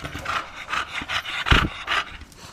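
A bulldog pants and huffs in quick, breathy bursts, about two each second.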